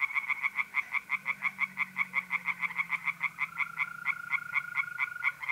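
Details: Tree frogs singing in a pond on an April night in north-east Italy: fast, evenly pulsed croaks repeated several times per second, with a steady high trill from mole crickets running underneath.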